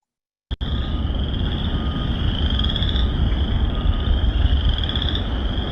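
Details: Springtime chorus of chorus frogs, wood frogs and spring peepers at a flooded vernal pool in an urban Michigan nature sanctuary in Fenton: dense, continuous high trilling and peeping over a low rumble of city construction noise.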